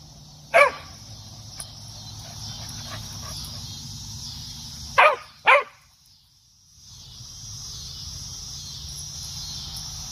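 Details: Cocker spaniel barking outdoors while trying to reach a cicada on an apple tree: three sharp, loud barks, one early and two in quick succession near the middle, over a steady high-pitched buzzing and low background hum.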